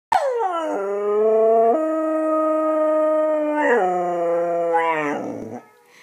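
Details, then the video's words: A one-year-old female Husky howling for the first time after hearing recordings of other huskies howl: one long steady harmonic howl, stepping up in pitch once and down again, then trailing off. "Howling for the First Time!!!"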